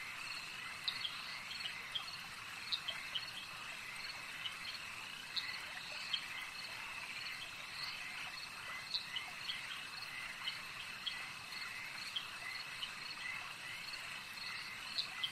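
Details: Frogs at a lake: a dense, steady high-pitched chorus of many callers droning continuously, with scattered short bright chirps popping out above it every second or so, against a soft hiss.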